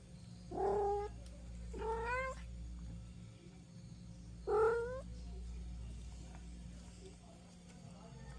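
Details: Kittens eager to go outside as their mother holds them back, calling with three clear upward-sliding meows spaced a few seconds apart over a constant low background hum.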